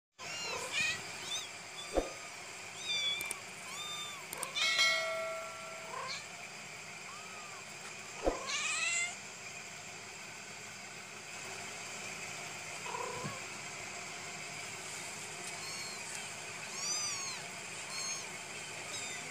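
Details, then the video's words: Kittens meowing: thin, high, arched mews come in clusters early on, with a louder sliding cry near the middle and faint rising-falling mews later over a soft background hiss and occasional knocks. "Cute Baby Cats And Kittens Meowing Compilation"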